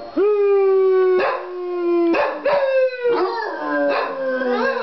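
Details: Two dogs howling together in a duet: a sustained, slowly falling howl held for seconds while the second dog repeatedly breaks in with short rising howls, voices overlapping.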